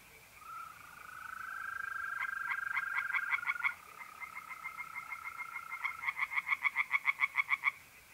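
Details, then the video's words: Tree frogs singing in a pond by night in mid-April, north-east Italy: fast series of pulsed croaks that grow louder, over a continuous low-pitched steady trill of mole crickets. "relaxing singing tree frogs in pond and trilling mole crickets by night"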